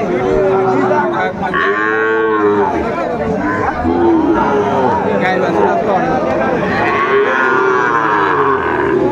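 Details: Several arched, drawn-out moos from Sahiwal bull calves being traded at a busy cattle market in Joypurhat, Bangladesh, 17 August 2024, heard amid constant human talk and market crowd noise.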